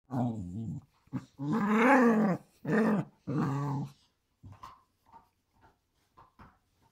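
A corgi makes a string of throaty, moaning growls and grumbles, then softer huffs.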